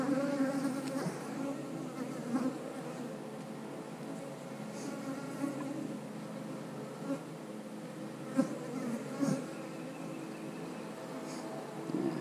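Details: Honey bees in an eight-frame hive during a frame inspection, with eggs, larvae and drones present; a steady, low droning hum of many bees runs throughout, with a few brief knocks and handling noises.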